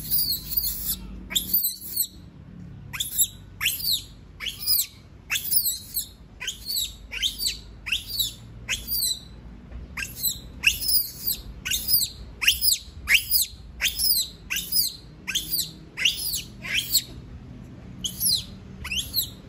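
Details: Monkey screaming because it does not want to be left alone: shrill, sharp calls sweeping steeply downward, repeated in a rapid, uneven series of more than twenty cries, with only a brief pause early on and faint low background hum.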